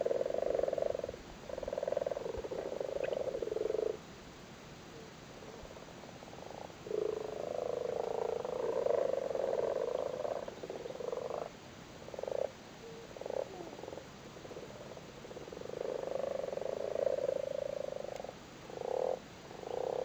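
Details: Spawning frogs crowded in a flooded cattle grid in Cork, Ireland: long stretches of low rattling, purring croaks from several frogs, broken by short silences and then a series of brief clipped bursts.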